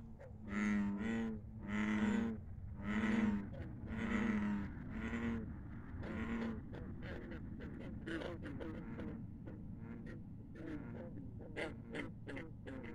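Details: Night chorus of frogs beside a country pond, opening with five long, low, buzzing croaks in a slow series, then dense overlapping short croaks and clicks from many callers.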